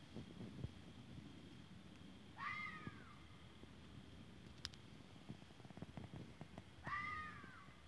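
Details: Two wavering, downward-sliding cries from a fox, about four and a half seconds apart, separated by faint crackling and a brief snap.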